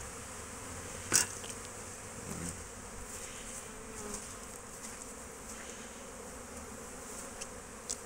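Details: Foraging honey bees in an apiary, 12 March 2024, give a continuous low hum; one loud sharp click early on, a brief knock near the middle and faint scattered taps over the drone.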